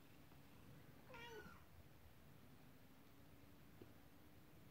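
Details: Domestic mother cat, upset as her kittens play with a toy horse-drawn carriage, lets out a single brief, bright meow that sweeps upward and then falls, over a steady low background hum.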